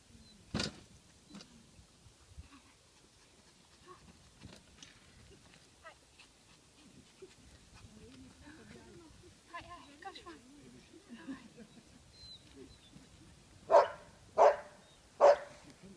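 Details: A Chihuahua at agility training on 13 February 2016 gives three sharp, high yapping barks in quick succession after quiet murmuring voices.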